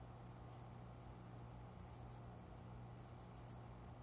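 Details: Hidden cricket chirping near a window among potted plants around 5 a.m. at dawn in summer; high, clean pulses grouped in twos, then a pair, then a run of four, over a constant low hum.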